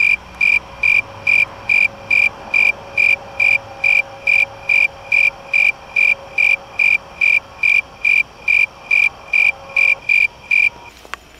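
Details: A snowy tree cricket, recorded close up in a crab apple tree in a mobile home park on August 2, 2017, sings a steady series of clear, high chirps, a little over two per second.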